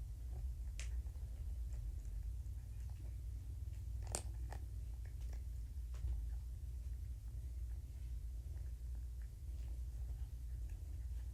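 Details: Purring kittens from a rescued litter at Purrfect Pals keep rumbling while being handled and flipped around indoors; the deep continuous throb is unbroken, overlaid with soft rustling and a few sharp clicks.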